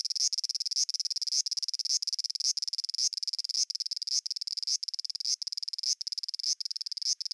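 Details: Cicada in Japan giving a pulsing song: rapid buzzy throbs broken by short rising swells about twice per second, repeated steadily.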